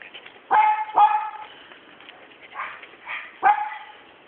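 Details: Sealyham Terrier, a young female dog kept as a pet, giving three sharp, high yipping barks: two in quick succession near the start, then one more after a pause, with softer muffled sounds in between.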